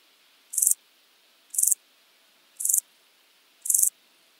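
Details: Euchorthippus declivus, common straw grasshopper, recorded at Illmitz, Austria on 13 July 2020 through an ultrasound detector: four brief buzzy high chirps spaced roughly one second apart over quiet background hiss.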